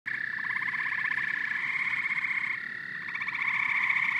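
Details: Frogs and toads calling together in a dense chorus: overlapping fast pulsed trills and chirping croaks in two steady bands, mid and high, swelling and easing slightly without pause.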